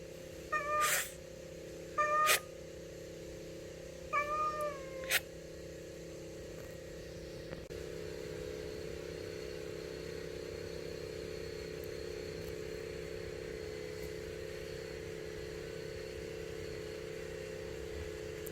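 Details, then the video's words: Stray cat that comes every day asking for food, giving three short meows in the first five seconds, each a brief harmonic cry, followed by a steady hum of background noise with no further calls. "밥달라고 매일 찾아오는 고양이"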